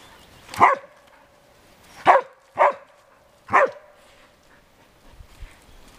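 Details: Dogs Arija and Nallo at play in an exercise yard with puppies nine weeks old; four loud, sharp barks, two close together, spaced roughly half a second to a second and a half apart, then quiet.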